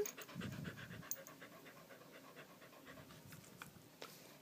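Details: Candy, a dog upset by a fire alarm chirping for a battery change, pants steadily at home while being comforted; quick, shallow breaths repeat a little over twice a second, airy and even, with no other sounds over them.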